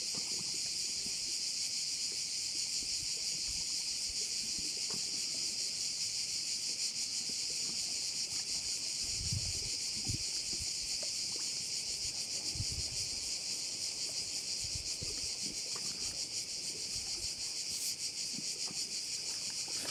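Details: High, sizzling massed trilling of crickets at a Korčula bay, constant and evenly pulsed for twenty seconds, over quiet scattered low thuds and lapping sounds.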